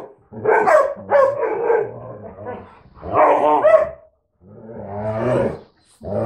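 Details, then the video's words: Two mixed-breed dogs, a retriever/Lab mix and a husky/Lab mix, 'talking' to each other: warbling, moaning vocal sounds with wavering harmonic tones, in bursts of about a second separated by short pauses, ending in a rising whine. "DOG TALK & CALL OF THE WILD"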